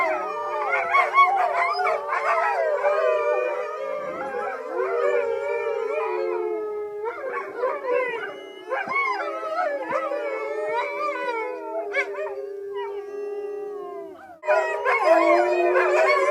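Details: A group of captive, part-dog wolves at a sanctuary chorus in February 2013. One long, even howl runs under many overlapping, sliding higher howls. The sound briefly thins before a loud burst of voices rejoins near the end.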